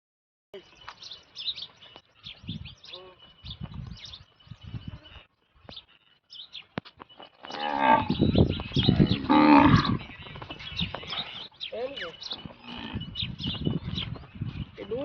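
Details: Kankrej cow of a dairy milking line near Bhuj, Kutch, giving a deep, harmonic moo in the middle of the recording, with men talking in Gujarati before and after and faint clatter in the background.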